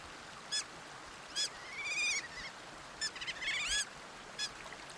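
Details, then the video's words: Sea otter giving short, high-pitched squealing calls in bright bursts, some sliding upward and downward, repeated at irregular intervals against a steady background hiss. "Sea otter sounds and video. HQ otter sound effect."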